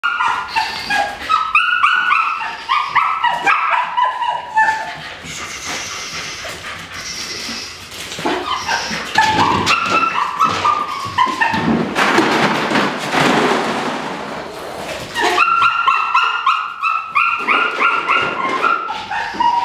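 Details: Female Dutch Shepherd from Topeka, Kansas, described as having great nerves and being very reckless in prey pursuit, giving loud harmonic barks in rapid irregular bursts, with a harsh noisy stretch of scuffling sound in the middle.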